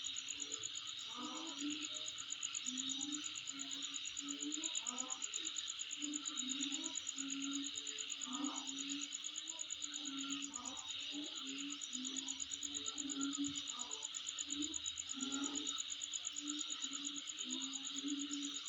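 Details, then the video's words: Insects calling at home: a steady, shrill high buzz joined by a fine rapid pulsed trill even higher up, with a wavering low hum and soft intermittent knocks beneath. "Sound Of Insect In My Place"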